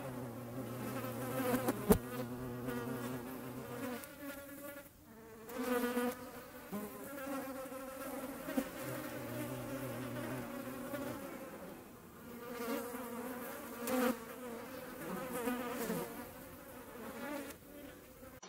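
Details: European hornets recorded in the wild in the Eifel: a steady, low droning buzz with layered harmonic tones that swells and dips as insects move about, with a brief click near two seconds.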